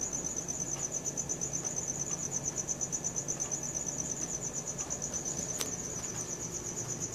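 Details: Night-time cricket chorus captured with a Samsung Galaxy S4, a bright, high-pitched trill pulsing evenly about three times per second, with one brief sharp click midway.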